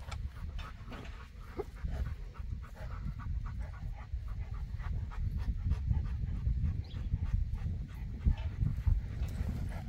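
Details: Panting from a Boerboel (African Mastiff) of the couple Enzo and Diva kept in Egypt: soft rhythmic breaths repeating under steady low-frequency rumble and handling noise.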